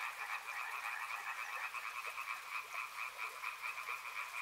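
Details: Many frogs calling together at a river, rapid rattling croaks layered into two bright mid-range bands, pulsing unevenly and continuously throughout.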